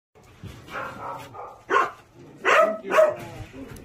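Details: A dog gives a few soft whimpering sounds, then three short, sharp barks within about two seconds.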